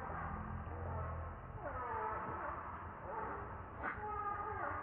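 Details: Very hungry baby monkey crying for milk: thin wavering squeals that bend downward, repeated irregularly, over a low engine-like hum and background noise.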